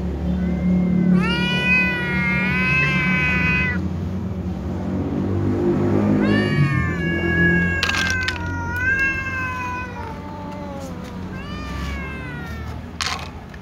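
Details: Domestic cats, kittens and a tom, meowing loudly before eating: several overlapping harmonic meows, some long and drawn out, others short and rising then falling, repeated through the clip over a low rumbling background.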